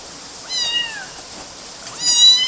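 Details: Kitten meows recorded in Galati, Romania, in June 2012 while kittens clambered on mosquito nets: two clear, high-pitched, downward-sliding mews about one and a half seconds apart against a soft background hiss.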